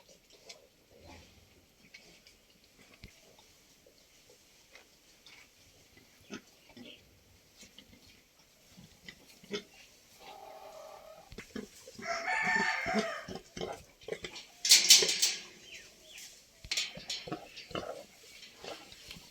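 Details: Pigs kept by a Santali farmer on a pig farm: soft scattered grunts early on, then loud harsh squeals in the second half, with short gaps between bursts.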